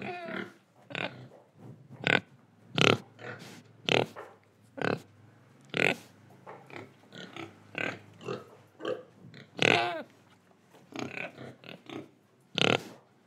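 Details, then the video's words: Pig in Indonesia giving short, harsh oinking grunts spaced about a second apart, a few rising into brief squealy notes near the end, with soft breathing between calls. "Pig Sound Effects Oink Oink, Breathing & Eating"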